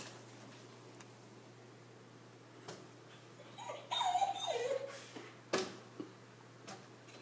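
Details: Arya, a Siberian Husky frightened by a balloon indoors, lets out a short wavering, whining whimper lasting about a second, with a few soft clicks and faint background noise around it.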